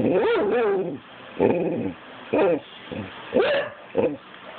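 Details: Pit bull barking for no apparent reason: five rough, tonal barks about one second apart, the first long and wavering, the rest shorter and clipped, over a constant low hum.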